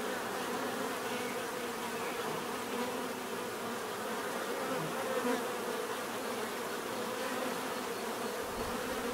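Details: Many bees buzzing together in a steady, dense hum, a low drone with brighter overtones that holds level throughout, with brief louder passes as single bees come close; no other animals, voices or music heard.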